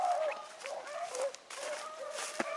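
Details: Hounds running rabbits at Salt Lake WMA on a February morning, an Oakhill pup among them; a chorus of mid-pitched drawn-out bays overlapping, with faint outdoor noise.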